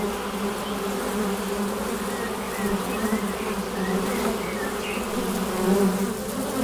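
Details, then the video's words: Loud, close humming of honey bees at the hive entrance, a deep steady drone with wavering individual bee passes swelling and fading, soft bird twitters in the background. "Bienensummen am Flugloch - 5 Minuten das Summen der Bienen"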